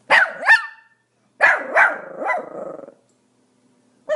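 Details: Small Pomeranian giving quick high-pitched yapping barks, a pair first and then a run of three with a rough, trailing ending, then silence and one more bark starting at the very end.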